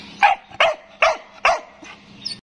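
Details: Stud Siberian Husky giving a series of short, sharp barks, four evenly spaced about every half second, then a softer fifth.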